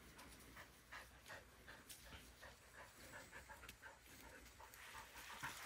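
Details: Bly, a Border Collie that suffers seizures when over-excited, panting heavily in the afternoon after calming down from morning excitement; fast rhythmic breaths, nearly three per second, airy and hoarse, fairly steady throughout.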